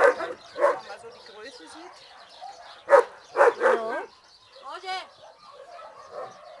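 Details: Karamele, a female Mastín-Labrador mix kennel dog awaiting a home, gives short yappy barks in small bursts, two or three in quick succession, among human speech and other faint kennel noise.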